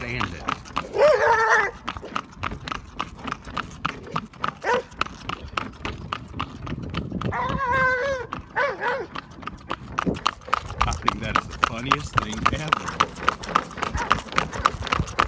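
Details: A roadside Rottweiler, excited on seeing a passing horse and wagon after crouching in wait, gives odd, bending barks stretching into warbling, howl-like yowls over steady rhythmic clicking, with a faint human voice.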